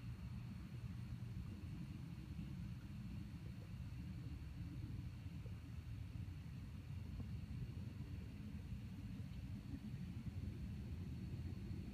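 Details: Steady low rumble and hum throughout, with no animal calls.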